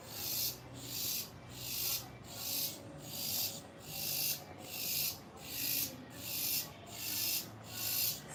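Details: Several cicadas found on a passion fruit plant leaf give a loud, harsh rasping buzz in rhythmic pulses, a little under one per second; the observer mentions the noise may relate to mating.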